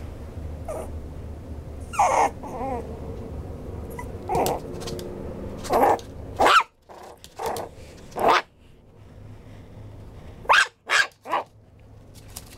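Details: Maltipoo whimpering and whining in short harmonic bursts, some wavering, others rising squeals, coming in bunches every couple of seconds with quiet gaps between, over a faint low hum.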